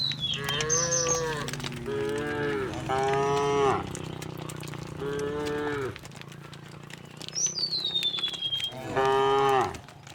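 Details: Dozens of tame cows walking in a row along a path toward a green grassy hill in the countryside moo in long, drawn-out, harmonic bellows, one after another across the herd.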